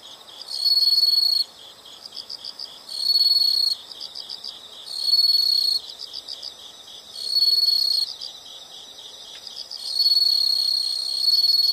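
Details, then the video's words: Insects calling in a nature recording: a steady high pulsing chirp runs throughout, with louder sustained trills of one to two seconds rising out of it about every two to three seconds. "the sound of insects"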